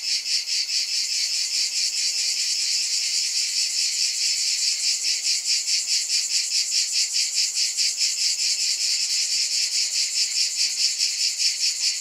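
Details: A steady, piercing buzz from many cicadas beats in regular waves a little over twice a second, with faint low tones barely audible beneath the chorus.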